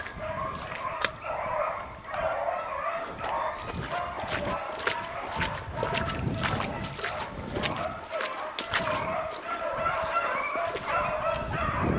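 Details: Beagles running as a pack on roe deer during a chasse au bâton. A dense, unbroken chorus of overlapping bays and yelps carries through the whole stretch, with sharp snapping and crackling noises mixed in.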